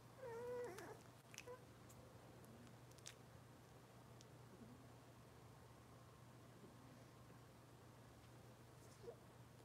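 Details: Cavalier King Charles Spaniel puppies from Robin's litter, watched indoors on a kitchen camera: one clear, high, wavering whine near the start, then quiet room hum with faint scattered squeaks.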